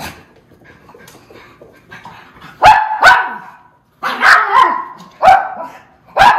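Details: White miniature schnauzer brothers, recorded January 31, 2022, excited about being followed outside to their rest area. Loud, sharp barks come in bursts after some quieter shuffling and faint yips, with short silent gaps between them.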